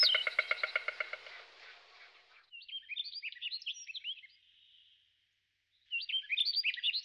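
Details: Siberian chipmunk in the Berezovsky reserve, Amur Oblast, Russia, 28 June 2018, watching observers; a fast series of sharp harmonic chips opens, then scattered high twittering notes and a brief pause before more twitters.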